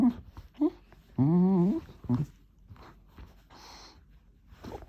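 An Aussiedoodle makes a wavering, whiny moan that rises and falls, between short grunts and snuffles.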